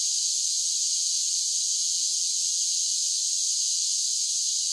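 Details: A short burst of summer cicada singing: an intense, even, high-pitched buzzing drone with no breaks, over a faint background murmur.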